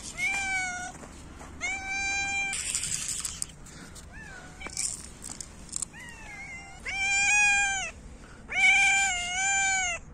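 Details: Several hungry cats meow loudly while competing for food during winter feeding, a string of long, strong, harmonically rich meows, some rising and falling, with a brief hiss-like rustle between calls.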